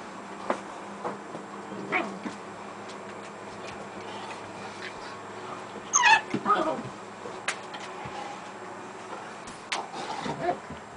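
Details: German Shepherd named Gretta playing with her puppies; a few short, high yipping and whimpering calls cluster around the middle, with a fainter one near the start and one near the end, over soft knocks and low background hum.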